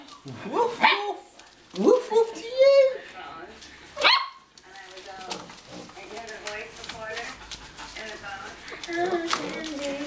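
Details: German Shorthaired Pointer puppies five weeks old give high, rising yelps and whines, followed by a person talking.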